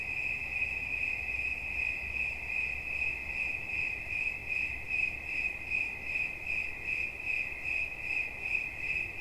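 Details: High, unbroken cricket song with clear regular pulsing about every 0.4 seconds, a faint overtone above it and quiet low-frequency noise underneath.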